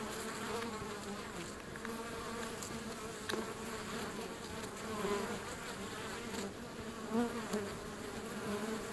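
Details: Feral European honey bees swarming at the entrance of a wild hive beside a river, filmed up close: a thick droning hum of many insects, steady throughout, with occasional louder whines as single bees fly past.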